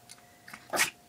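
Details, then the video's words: Two-year-old female Chihuahua performing a learned trick, sneezing on command indoors; one short, sharp, hissing sneeze bursts out after a couple of faint soft sniffs. "Chihuahua Sneezes on Command"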